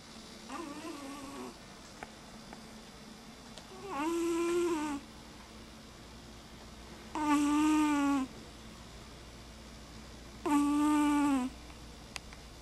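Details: Mama Kitty, a sleeping pet cat, snoring a lot: one faint snore followed by three loud, drawn-out, nasal, tonal snores, each about a second long and spaced roughly three seconds apart, in a quiet room.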